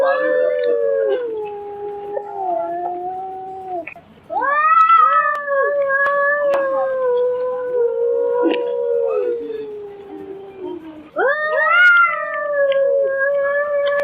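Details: Domestic cat meows, part of a set of seven different kinds of kitten meowing: long, drawn-out wailing calls with steady tones and slight falls, three calls over fourteen seconds, the middle one longest.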